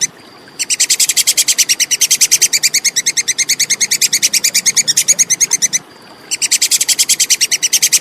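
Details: Plantain squirrel giving a clear, rapid chattering call of sharp, high clicking notes, about seven per second, in a long run of five seconds, a brief pause, then another burst; the background is quiet.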